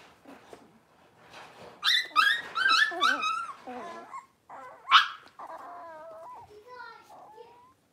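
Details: Blenheim Cavalier King Charles Spaniel puppies from a litter of five, born at New Year, in an indoor pen: quiet whines, then a burst of high, wavering yelps around the middle, one sharp squeal, and trailing soft whimpers.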